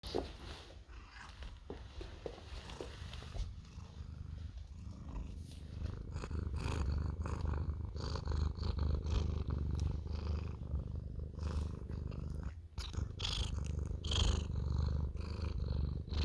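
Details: An orange domestic cat asking for cuddles purrs steadily, a deep rumbling throb with a few soft higher chirps mixed in.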